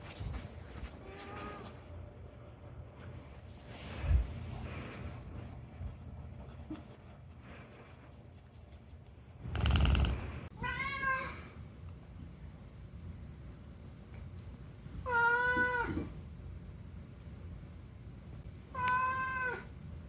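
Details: Unagi-kun, a talkative rescued pet cat, meowing to make its appeals: a faint early mew, then three clear drawn-out meows with wavering pitch, a few seconds apart, among soft indoor thumps and handling noise.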